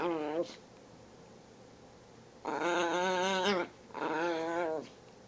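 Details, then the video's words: Chihuahua at morning play, making funny noises: three bursts of loud, wavering, harmonic yowling whines, the first brief, the next two about a second long, with pauses between. "Chihuahua plays and makes funny noises"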